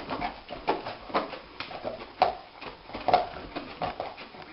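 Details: A sleeping dog, dreaming, snores: soft breathy snorts pulse about once a second in an uneven rhythm. Each snort carries a rough mid-pitched rasp, with faint rustling between breaths.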